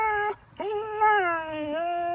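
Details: Catahoula dog indoors begging for its owner's breakfast, giving a drawn-out vocal whine that dips briefly, then rises and wavers in a talking-back manner, with harmonics stacked above; a short silent gap early on.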